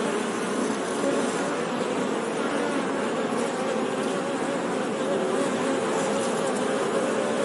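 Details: Honey bee buzzing: a dense, unbroken hum of many overlapping wingbeats, steady in loudness throughout, with a low drone and a fizzing upper wash and no other sounds.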